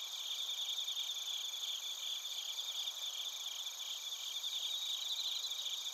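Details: High-pitched chorus of bell crickets and other crickets from Narita, Chiba, Japan, recorded with a TASCAM Portacapture X8: overlapping fast pulsing chirps at several pitches, continuous and even, with no other sounds.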